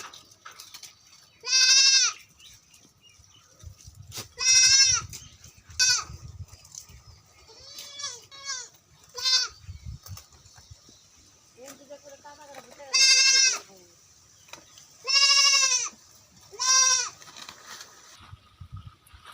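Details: Goats at a farm in West Bengal, India, calling repeatedly: loud, nasal, quavering bleats of about a second each, coming every few seconds in a series of about ten, with faint low thumps and quieter bleats between.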